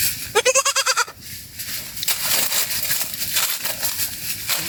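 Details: Goat from a family group feeding in a forest, seemingly lost: one loud, quavering bleat with a rapid tremble lasting under a second, followed by steady rustling and crunching of foraging through the rest.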